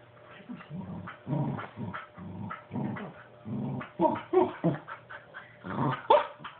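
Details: Puppy asking for a stuffed animal set too high for him to reach; low grumbling growls in quick bursts fill the first seconds, then sharper yips and whines, with a person's coaxing voice in between indoors.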